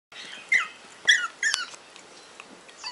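High-pitched, squeaky yaps from a Pomeranian, coming in short bursts about half a second apart.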